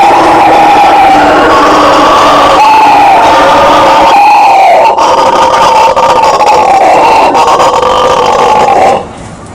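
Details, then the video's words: Bugio, the Brazilian howler monkey, giving a powerful roaring vocalization: a dense, steady, rumbling chorus with wavering pitch and slight pulsing, carrying on for about nine seconds before cutting off abruptly into near quiet. "SOM DO MACACO BUGIO, Barulho de Bugio!"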